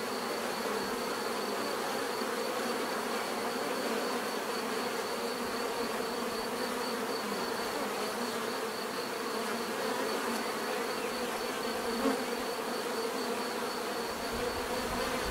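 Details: Bees give a constant natural buzz, a broad humming drone from many insects with a thin high pulsing tone above and a small knock near the end.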